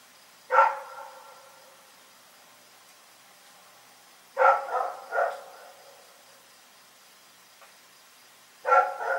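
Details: Dog named Rex barking in the night, single sharp barks spaced by several seconds of quiet, one pair of quick barks in the middle, background otherwise still.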